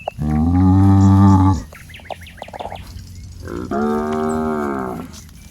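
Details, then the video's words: Calf among fat, healthy cattle wandering a watery rice field, calling for its mother: two long, deep, sustained moos about three seconds apart, with small chirping birds in the quiet gap. "Suara Sapi Sedang Mencari Induknya"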